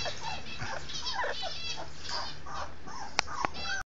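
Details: Litter of two-week-old Labrador Retriever puppies squeaking and whimpering almost without pause, thin high whines overlapping and wavering up and down, with two sharp clicks near the end.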